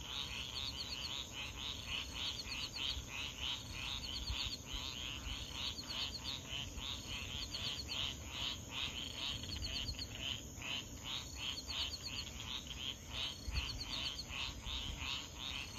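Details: Night chorus of frogs near swamps at Foulpointe, east coast of Madagascar, at 3:00 AM; fast, rattling pulsed calls in a regular run, high clicking notes above, constant insect hiss and deep rumble of the nearby ocean.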